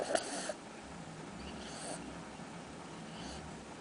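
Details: A sleeping, apparently dreaming Cocker Spaniel snores softly, with breathy wheezes coming about every one and a half seconds.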